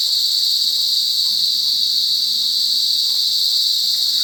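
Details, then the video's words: Loud forest cicada buzz, a continuous high-pitched hiss-like drone with no pauses or rhythm changes, holding the same intensity throughout the short stretch. "cicadas lound buzzing noise in forest"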